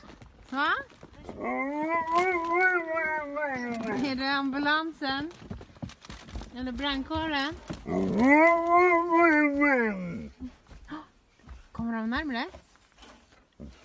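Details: An Alaskan Malamute from Sweden sings in long, wavering howls that rise, bend and fall in drawn-out, voice-like phrases.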